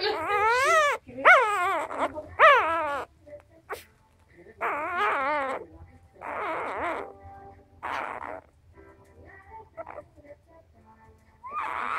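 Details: Four-day-old Cardigan Welsh Corgi puppy trying hard to get milk, giving repeated high wavering squeals and whines in short bursts, some rising and falling, with quieter pauses and faint low background rumble.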